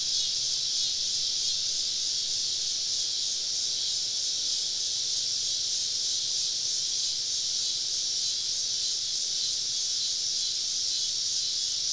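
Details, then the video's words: Cicadas calling all around a woodland campsite on a southern summer evening, merging into a continuous shrill electric hiss that stays level and unbroken throughout, with no other clear sounds. "Southern Evening Summer Cicada Symphony"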